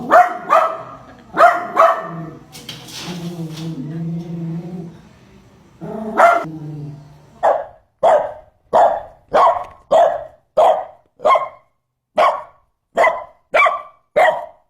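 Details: Poodle barking: loud, sharp barks in short bursts, a drawn-out tonal whine with layered harmonics, then a steady run of about a dozen clipped barks, each roughly two-thirds of a second apart.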